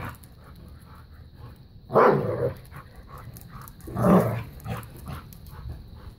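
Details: Bella, a five-year-old black lab pitbull, plays keep away and tug of war with a new puppy; two loud rough growl-bark bursts about two seconds apart over a low rumbling growl and steady hum.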